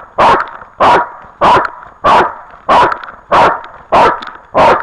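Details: Barking dog, 8 October 2013: eight loud, rough barks delivered at an even pace, one every 0.6 seconds or so, with no other sounds in between.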